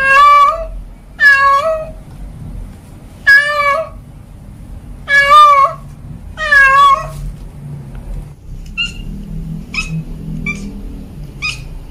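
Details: Cat calling at home in five loud, drawn-out meows about one to two seconds apart, each bending slightly in pitch, followed by a quieter stretch of faint short chirping sounds and low rumbling.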